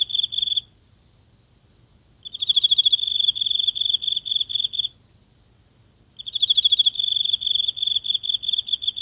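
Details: A single insect calling at night from the grass of a small home garden, recorded with a phone held close: high, pulsed trills lasting two to three seconds, separated by silent gaps in a very quiet night.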